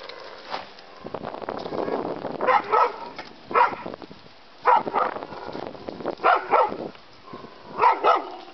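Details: During play between a terrier mix and a bulldog, short gruff barks and growly yelps repeat about every second, often in pairs, over a soft background of movement.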